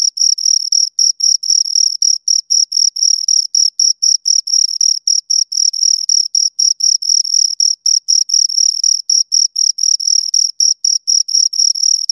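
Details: Close, loud chirping of two crickets: rapid, high, bright pulses in a steady stream, irregularly spaced where both insects call together, with a quiet background.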